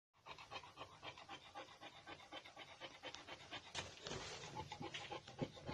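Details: Male brindle Boxer puppies panting in quick, breathy, rhythmic pulses, about four per second, steady throughout, with soft rustling and shuffling growing louder near the end.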